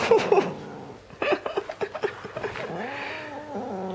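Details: Teddy, a red point Siamese kitten, voices low sustained growls as he is tricked out of his toy, preceded by a burst of clicks and rustling from play.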